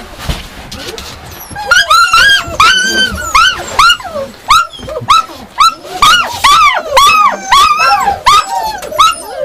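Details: Yakutian Laika barking in quick, high, arched yelps, roughly two per second after a quieter start with faint background noise; some notes stretch into short whines.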